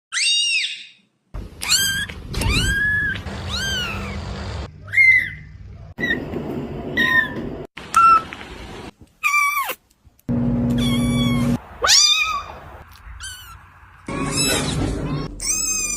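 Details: Kitten meowing; a series of high, thin, rising-then-falling mews repeated in quick bursts, some stretched and wavering, with abrupt cuts between them and a low background hum.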